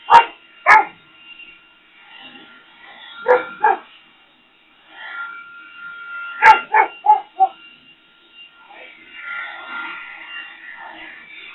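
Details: Rex, a Boxer, barks at a leaf blower. Two sharp, loud barks open the clip, followed by scattered clusters of rapid gruff barks against a constant mechanical hum and intermittent whooshing blower noise.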